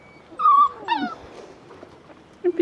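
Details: Border Collie puppies, not pedigree-registered, whimpering while petted on a breeding farm; a clear high whine falls away, a second shorter whine follows, then two quick low yelps close the sequence.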